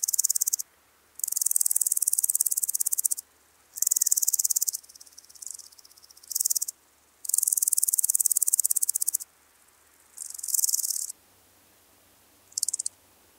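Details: Woodland grasshopper, Omocestus rufipes, on Gaisberg in Austria, 15 September 2023, heard through a Pettersson D 100 ultrasound detector: high, fast-ticking rasping phrases of one to two seconds, repeated with short pauses, some quieter.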